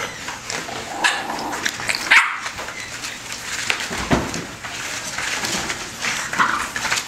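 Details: Litter of bully bulldog puppies from Rocko and Teerza, five and a half weeks old, giving short high squeaky yelps and whimpers amid a noisy, hissy indoor background, with a sharp louder squeal near the middle.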